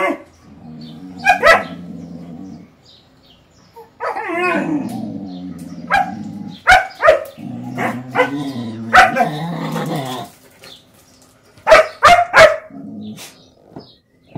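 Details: German Shepherd puppy playing with and testing the patience of a mixed-breed dog. Scattered sharp barks and yips alternate with long, rumbling growls, with short quiet gaps between bursts.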